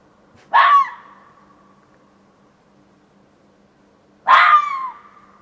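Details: A fox in a back yard around 1:15 am on 27 June 2013 gives two loud, rasping calls about four seconds apart, each starting with a raw, barking burst and fading into a thin, wavering tail in otherwise quiet surroundings.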